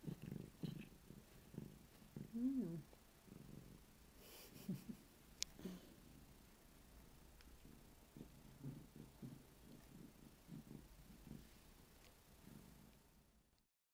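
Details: Pet cat, female, tending her own bed while purring: a soft, low continuous rumble with a short voiced chirp early on and a faint click midway, fading out at the end.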